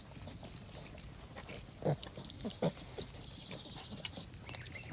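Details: Sow lying asleep with her piglets in very cold weather during the rain; two short, low grunts come close together near the middle, with fainter snuffles around them over a constant hiss of falling rain.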